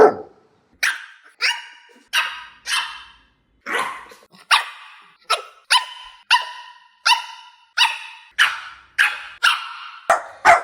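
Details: A young puppy gives sharp, high, clipped barks, one roughly every two-thirds of a second, each ending abruptly with a brief ringing tail in a quiet room.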